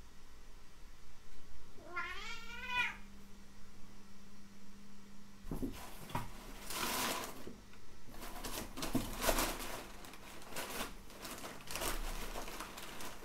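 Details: A Bengal tabby cat, female, gives a single wavering meow, followed by rustling and scratching sounds, possibly from a long box.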